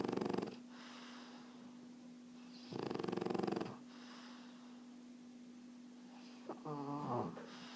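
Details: Erna the French Bulldog sleeping: short rattling snore, long quiet gap, a second fluttering snore of about a second, then a snuffling, wheezy snort near the end, over a steady background hum.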